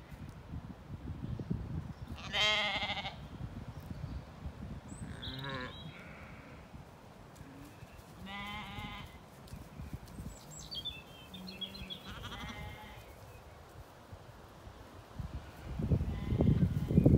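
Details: Ewes and lambs grazing together in a flowering apple orchard on a sunny spring day in County Kilkenny, Ireland, calling to each other: four separate wavering, harmonic bleats a few seconds apart, with faint birdsong and low rustling underneath.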